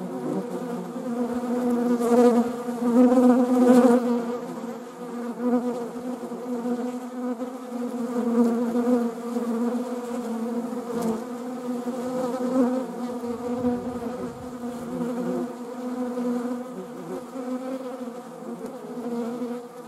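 A steady, low droning buzz from flying honeybees, swelling and fading as insects pass close.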